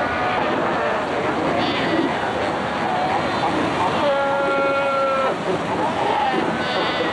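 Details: Cape fur seals at Cape Cross, Skeleton Coast, Namibia, recorded in 1992 amid fighting and pup rearing; a steady background din of bleats, with one clear, long, level wailing call standing out midway and shorter bleats after it.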